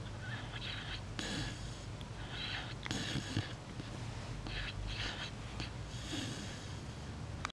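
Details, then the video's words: A puppy asleep indoors snuffles and wheezes, with raspy, hissing breaths repeating every second or so and small snorts between them over a constant low background hum. "Preview of a snoring puppy"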